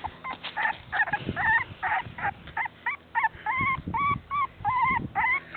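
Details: Beagle puppies, said to be cold and waiting to go back to their mother, giving rapid repeated whiny yips and whimpers, almost three per second, each bending up then down, over handling noises and a voice.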